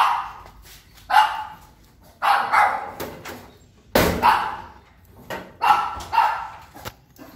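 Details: Unsure Yorkshire Terrier barking at a person entering its territory indoors; six sharp barks in uneven bursts roughly every second, some doubled, in a small room with faint background noise.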